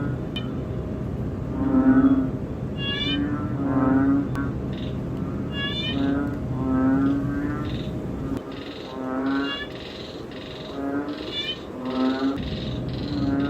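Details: Close-up recording of a banded bullfrog (ễnh ương) calling within a frog chorus. Low, droning, harmonic moans repeat every second or two, overlapped by upward-sweeping buzzy calls and a steady low background hum.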